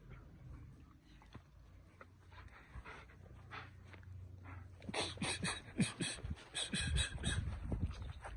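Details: German Shepherd dog panting in quick, breathy bursts, about four a second, growing louder and harsher in the second half, while people speak Hindi close by.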